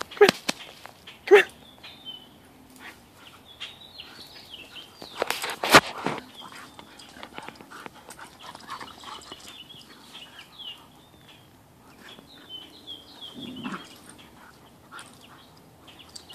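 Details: Two dogs named Ziva and Cairn playing together outdoors, one of them tied up; a few sharp loud barks near the start and a louder burst mid-clip, with high chirping birds throughout.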